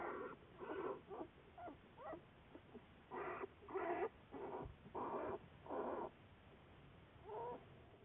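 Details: American black bear in a research project, filmed February 10, 2014; a series of short, breathy, pulsing grunts and huffs in an uneven rhythm, about ten bursts, each lasting a fraction of a second.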